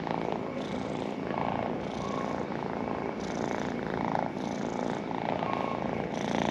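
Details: Continuous purring from a pet cat, a low, even rumble that rises and falls gently with each breath, no other sounds.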